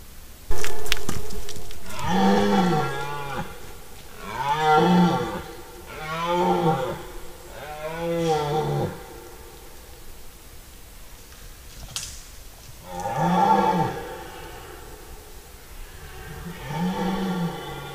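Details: Red deer stags roaring during the rut in a forest, recorded 10–15 September 2018. Deep, harmonic, arching bellows, each about a second long, come in two clusters of three and two, with short pauses between them.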